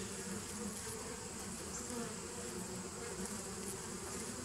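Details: Bees of a 2017 nucleus colony recorded on 27 September 2018: a steady, dense droning hum with a low, even buzz throughout and no clear breaks.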